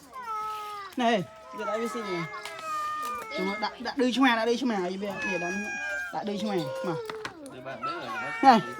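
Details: A group of abandoned cats mews insistently, with wavering, bending cries and shorter sharp calls layered together as voices chat close by.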